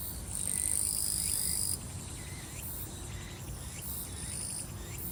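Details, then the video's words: High, shrill insect trill from summer grass on Soyosan, strong for the first second and a half and then softer, with faint repeated chirps and a low outdoor rumble underneath. "소요산의 여름 풀벌레와 매미 소리"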